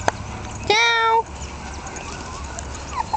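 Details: A month-old Jack Russell Terrier puppy, litter of Yeti Romany Storm x Romany Rio born 27 October 2010, utters one strong, steady, half-second whine rich in overtones, followed by quieter squeaks and background murmur.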